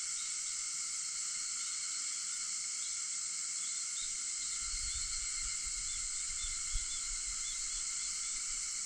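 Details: Cicadas at dawn, 4:50 am on 4 August, keep up a constant shrill, sizzling drone; from midway a low rumble joins beneath, with a single sharp click shortly after.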